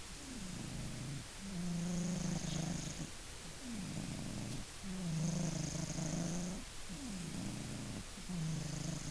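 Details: Sleeping Maine Coon named Funya snores in a regular cycle, each breath a falling rasp followed by a held low buzzing drone, repeating about every two and a half seconds, with a faint whistle on some breaths.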